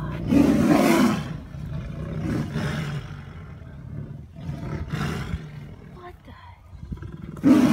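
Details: Captive male Amur tigers fighting at a zoo in April 2017, loud and proud; bursts of gravelly snarling roars recur every second or two, loudest at the opening and close, with quieter growls between.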